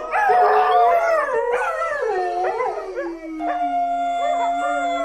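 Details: Dog howling: a loud, wavering opening cry drops into long drawn-out tones. Other howling voices overlap it, and a steady, even howl is held through the final seconds.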